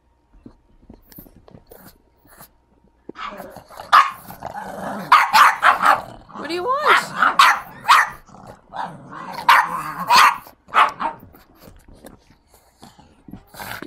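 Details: Pug, a recently adopted female, throwing a temper tantrum: a burst of rapid, uneven yaps and whiny barks starting after three seconds, mixed with a woman's voice asking what she wants.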